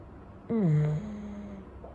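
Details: Chow Chow male dozing after his wash, drying naturally on a warm day. A low nasal tone slides downward, then a steadier, quieter drone carries on for about half a second before stopping. No other sounds intrude.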